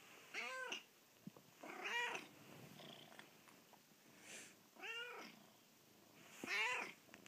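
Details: At first light in the bedroom, Penelope the cat demands that her owners get up: four drawn-out, arching meows spaced over seven seconds, with faint softer vocal sounds between.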